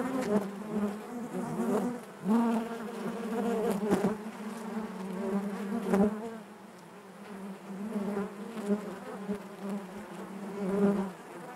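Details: Many honey bees hum together within the hive, a rich steady drone with wavering overtones, rising in bursts around the second and fourth seconds, then settling into a softer, even buzz with faint ticks.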